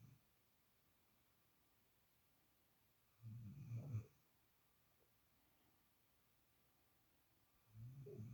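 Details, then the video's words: Puppy dozing in the usual place of a housemate dog produces a low, grumbling snore around the middle and another starting at the end, separated by quiet breathing gaps. "Snoring Puppy"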